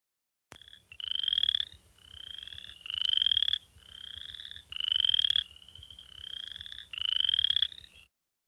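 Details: Boreal chorus frog, an early-spring caller in Minnesota wetlands, giving rising, pulsed trills, like a fingernail running over a comb.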